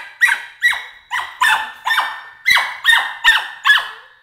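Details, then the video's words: Border Collie puppy Emily, 13 weeks old, screaming in protest at her crate, giving shrill descending yelps about every half second in a steady, urgent series indoors. "See Emily Scream"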